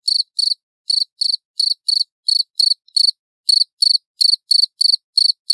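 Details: A loud cricket gives crisp, high pulsed chirps in slightly uneven rhythm, about three per second with a couple of short pauses, and no other sounds.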